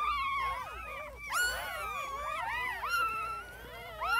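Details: Newborn puppies whining together, several high squeaky voices overlapping in rising and falling wavering cries, with a sharper yelp at about one and a half seconds and a louder squeal near the end.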